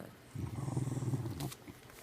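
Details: Sylvia, a pet dog, growls out of jealousy while her owner gives attention to Taffy, another little dog. The growl is a low, pulsing rumble lasting about a second, then fades into quiet room noise.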